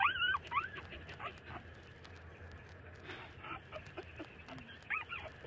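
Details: Thirty-day-old puppies nursing from their mother; high, whining whimpers with a rise and fall open the recording, two quick cries in succession, then softer murmurs and one more short whine near the end, over low background hiss.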